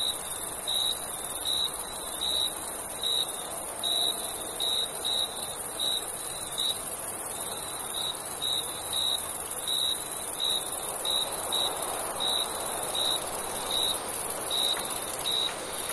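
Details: Summer night crickets: a long run of rapid, evenly spaced high chirps, a brief gap near the middle, then steady chirping again over a constant shrill insect chorus.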